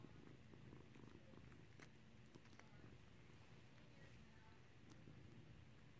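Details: Steady low purring from Skittles, a cat in clicker training to ring a bell, with soft handling noises and light taps over the rumble.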